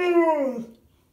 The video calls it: Howling Bernese mountain dog